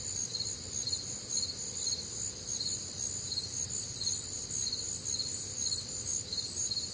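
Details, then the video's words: Many crickets chirping together through a warm, humid summer night in the Midwest: steady high-pitched trilled pulses layered in bands, continuous throughout, over a soft low background hum. "Night Time Cricket Sounds"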